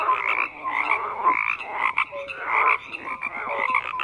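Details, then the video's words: A crowded frog chorus: harsh pulsed croaks build and drop in quick surges, broken by a brief lull, with a couple of short pure notes sounding below. "FROGS CROAKING"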